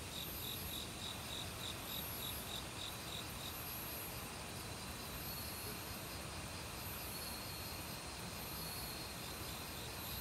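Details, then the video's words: Crickets singing in an autumn forest with assorted other bugs, quick repeated high chirps and a sustained shrill tone set against continuous flowing stream water. "가을 귀뚜라미 소리"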